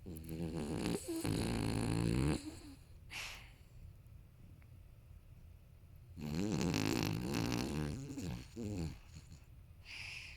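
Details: Thirteen-year-old male apricot-gold Toy Poodle named Maron, suspected brain tumour, snoring loudly indoors behind someone editing on a computer; long rough rattling snores with a harsh, harmonic buzz, separated by quiet pauses and short snorting breaths.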